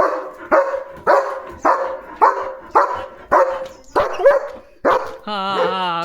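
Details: German Shepherd named Leo barking repeatedly to drive other dogs away from the gate; about nine sharp barks roughly every half second, ending in a brief tonal whine-like sound.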